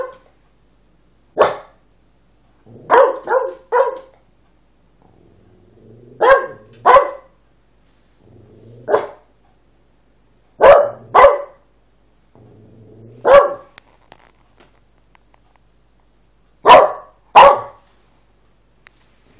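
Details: Male Cavalier King Charles Spaniel growling and barking because he wants his owner's food: sharp barks, often in pairs or threes, spaced a second or two apart, with low rumbling growls between bursts and quiet gaps.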